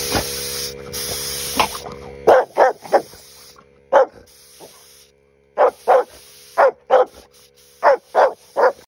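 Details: A Rottweiler that dislikes an air compressor barks in short, deep bursts, often in quick pairs, after the compressor's loud hiss stops.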